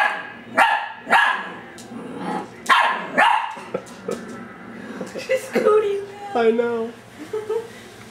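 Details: Female dachsador puppy Ellie, 10 weeks old, lab-dachshund cross, barking at her reflection in glass, December 2008; several high, sharp yips early, followed by a woman's voice and thin whining tones.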